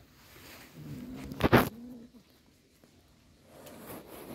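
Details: Cat giving one drawn-out, low, steady meow lasting over a second, cut through midway by a sharp loud click, with faint indoor room noise around it.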